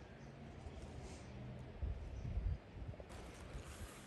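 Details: Low outdoor rumble like wind buffeting or distant engine noise, with a few soft thuds around two seconds and no animal calls.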